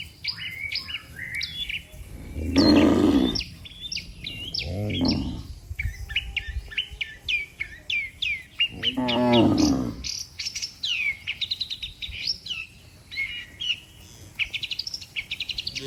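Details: Dozens of cattle walking in a neat line on a road, lowing to call the herd home to the barn; three broad, throaty moos spaced several seconds apart amid constant twittering birdsong.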